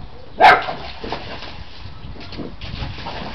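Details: Playing Australian Shepherd puppies: a single loud, high yapping bark opens, then faint scuffles and small soft yelps trail off over low hiss.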